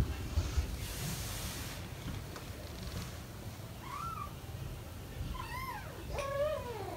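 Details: British Shorthair kittens almost five weeks old, four of them playing indoors with their parents Ted and Chloe nearby; faint room noise, then a short rising mew and later a few high wavering meows near the end.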